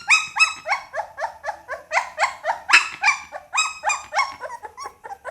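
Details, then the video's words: Pit Bull puppy giving a rapid run of high, whining yelps, roughly three per second, each note bending up then down, with a steady rhythm and a quiet background. "เสียงหมาน้อย ลูกพิทบูล"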